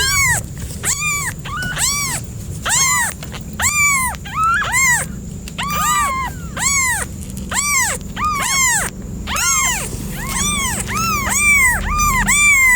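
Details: Cat meowing rapidly and insistently, about twenty short arched meows in quick succession, some closely paired, others separated by brief pauses, over a soft low background rumble.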